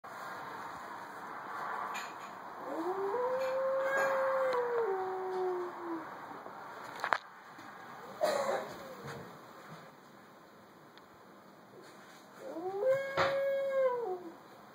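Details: Wolf howls from a BBC documentary playing on a TV indoors, which frightened a Great Dane. Long smooth howls rise then fall, one stretching about four seconds, a brief one follows, and a last howl comes near the end over a steady electrical hum.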